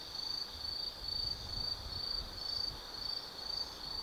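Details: Night chorus of autumn insects in the Tsukimi no Mori woods above the Nobi Plain, Kaizu, Gifu, Japan, recorded 180 m up: shrill high trills in regular pulses roughly every half second over a soft low background murmur.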